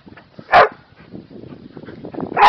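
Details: Kerry Blue Terrier named Bowie barking to invite play, a dog that loves running, jumping and playing with other dogs; two loud, sharp barks about two seconds apart, with softer snuffling and movement noises between them.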